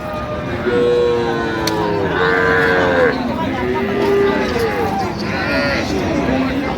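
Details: Cattle moo at the Amabari Haat livestock market, where cows and calves are offered. Several wavering, mid-pitched lows overlap one another under a constant background of people talking.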